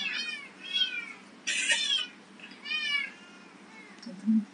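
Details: Abandoned white Persian and domestic medium hair kittens, friendly and playful, waiting for adoption; four short, high, bright meows, the second one loudest and longest, with a soft noise at the end.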